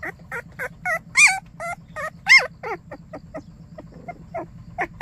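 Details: Morning greeting from a white baekgu puppy in Cheongdo: a string of bent, whining yelps, some rising and falling sharply, in bursts with short pauses, over a constant low hum.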